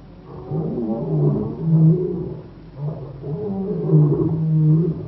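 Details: Wild African lion, Kruger National Park near Shingwedzi, producing deep, throaty roaring in swelling bursts, each rising to a loud peak then easing off, about three surges in five seconds.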